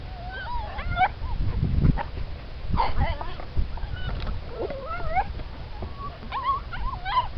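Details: Siberian Husky puppies from a litter of show and racing lines whine in rising and falling wavering squeals, several voices overlapping, with low rumbling background noise and a brief voice.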